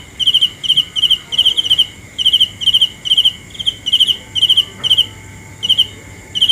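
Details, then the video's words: Night cricket sound with short, shrill trilled chirps, each a quick cluster of pulses, repeated at a slightly uneven pace with brief gaps between runs over a quiet background. "The best sounds of Cricket 《 Suab Kab Ciliv Quaj Zoo Heev》 ( ສຽງແມງຈີ່ນາຍຮ້ອງດີໆ )"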